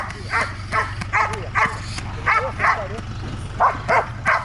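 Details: Belgian Malinois named Trueno during dog training in Zumpango, State of Mexico, barking in quick bursts, about nine sharp barks in under five seconds, over a steady low engine-like hum.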